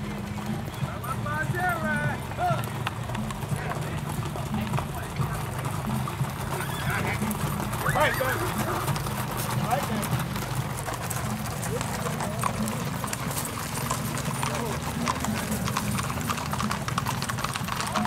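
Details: Tennessee Walking Horses on a 2022 Orchard Park singlefoot trail ride in Domino, Texas: a wavering, harmonic whinny rises and falls near the middle, over steady hoof clip-clop, and people chat and laugh throughout.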